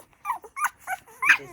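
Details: Newborn poodle puppies nursing on their first day of life give four short, high, tonal squeaks, each bending up then down, spaced about a third of a second apart with quiet gaps between.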